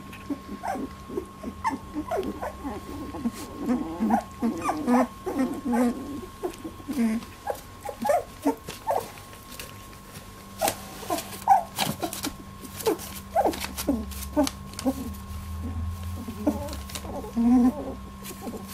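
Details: First milk fight among 18-day-old Labradoodle puppies, scattered short squeaks and grunting whines, softer and more broken, with rustling and a low hum.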